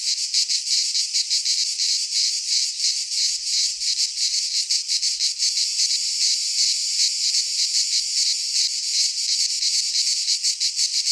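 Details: In a Greek pine forest at midsummer, massed cicadas keep up an intense high-pitched sizzling drone, steadily pulsing several times a second without pause, filling the whole stretch.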